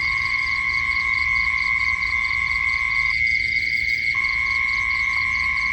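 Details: A night insect gives a steady, high, ringing trill with a faint fast pulsing above it, at night.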